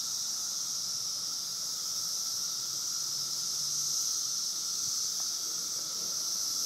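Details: Periodical cicadas in a 17-year emergence at Woodbridge, Virginia, a dense chorus surrounding the listener: a steady, unbroken high hiss with a bright band and a fainter lower droning tone beneath, no pauses.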